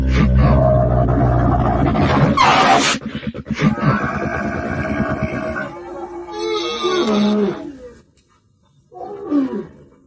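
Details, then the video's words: Camel giving a loud, deep, guttural roaring grumble with rapid throaty pulsing and gurgling, nearly continuous for about eight seconds, then a short pause and a brief rising groan near the end. "Deve sesi/Kamel-Sound/Camel sound/Dəvə səsi/Son de chameau/صوت الجمل"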